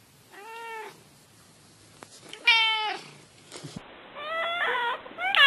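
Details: Pet cat giving a series of meows: two steady, drawn-out tonal calls, then several shorter, higher-pitched rising mews in quick succession toward the end, indoors.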